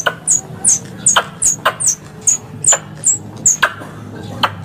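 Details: Squirrel lure calls used by Indonesian air-rifle hunters: high squeaks falling in pitch, repeated roughly every half second, alternating with brief sharp clicks.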